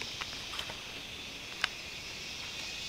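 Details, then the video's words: Cicadas during cicada season on Koh Samui: a steady, shrill, high buzzing drone runs unbroken through the clip, with a few faint clicks and ticks. "Cicadas season on Koh Samui (sound of nature)"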